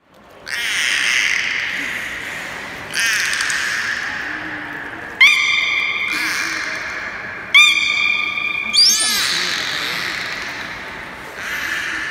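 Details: Captive beluga during a training session at Port of Nagoya Public Aquarium, Japan, on 4 February 2017: several raspy, broadband squawking bursts about two seconds long, plus short tonal harmonic blasts resembling a trainer's whistle, over steady hall noise.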